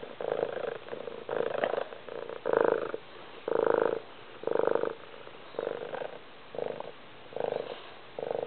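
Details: A cat purring loudly, steady rumbling bursts with a fine pulsing texture, each swelling and fading about once a second in an even breathing rhythm, with quiet gaps between.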